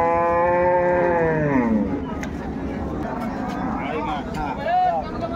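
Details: Cattle at Ambari livestock haat on 21 May 2024, where milking cows and pregnant cows are traded; a long moo fills the first two seconds, then gives way to people talking and market noise.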